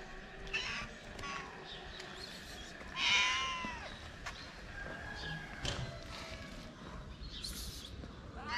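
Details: Tuxedo cat, a stray fed on the street in Morocco, shy while eating; a single rising-falling harmonic meow near the middle, with faint street noise, soft clicks and thuds around it.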